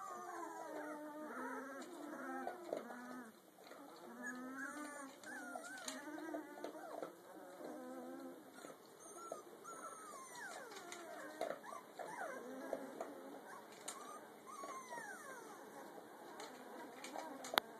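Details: A Rottweiler mix puppy, 2 weeks 2 days old, makes high, wavering whimpers and squeals that rise and fall in pitch.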